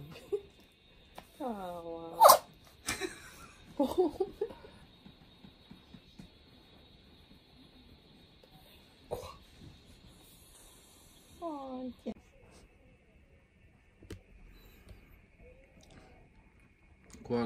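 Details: Kohaku, a pet Chihuahua, sulks after being refused a treat. It gives short, whiny, harmonic cries that fall and waver, one near the start and another about ten seconds later. Sharp knocks, a steady faint tone and brief human voices come in between.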